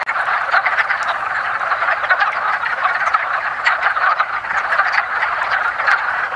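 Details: Wood frogs at their early-spring mating gathering in a woodland pond give a loud, continuous chorus of raspy clucking calls, with many individuals overlapping and a few louder notes punctuating it.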